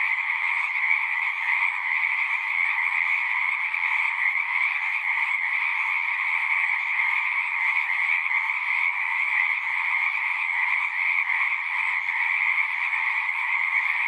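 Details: Many frogs sing together in a thick, unvarying trill, a buzzy higher band over a softer lower one. The chorus runs without a gap and nothing else is heard.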